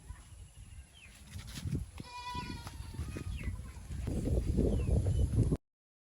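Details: Goat on a village farm in Nepal, where local does are crossed with Boer kids. A short, nasal harmonic bleat sounds near the middle over steady low rumbling and rustling farmyard noise that grows louder toward the end.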